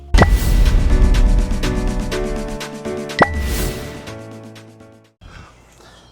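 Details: Music with chimes and swooshing effects plays, with no animal sound heard.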